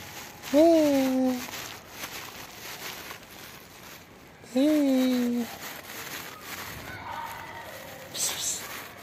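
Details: Two matching meows about four seconds apart come from a hungry black kitten hiding under trees while waiting to be fed; each call briefly rises, then falls and holds, with light rustling and crackling between them.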